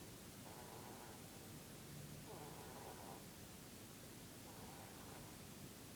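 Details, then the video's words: A Dutch/Polish mix bunny, Mr. Keeks, snores while asleep in his Peep-pose: three gentle rasping breaths recurring about every two seconds, muffled by a continuous noise floor. "Bunny snoring"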